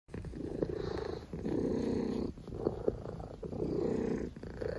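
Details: Domestic cat purring: a steady, low rumbling that swells and fades in long phases, with brief breaks between breaths. The room is otherwise quiet.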